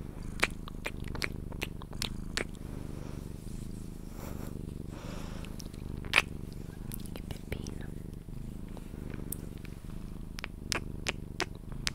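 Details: Sphynx cat being cuddled and purring toward sleep, a soft low rumble under frequent kissing clicks and a brief hushed human voice in the middle.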